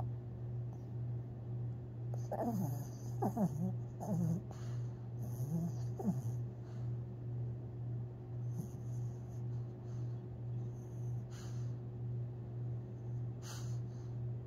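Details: A sleeping Long Haired Chihuahua named Tinkerbell, dreaming and snoring on April 17, 2021: quiet wheezing snores and a few soft whimpers in the first six seconds, then faint breathing, with a constant low electrical hum.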